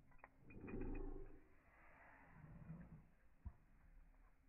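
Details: German Shepherd named Evo greeting its returning owners: one loud, drawn-out low moan lasting about a second, then softer grumbling sounds and a sharp click near the end.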